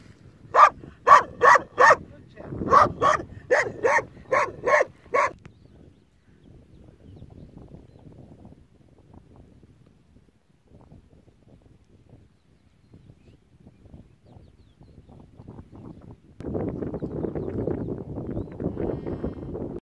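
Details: Kangal puppy guarding sheep by itself, letting out a quick burst of about ten sharp barks in the first five seconds, then quiet with faint low rustling, and a broad rumble of noise near the end.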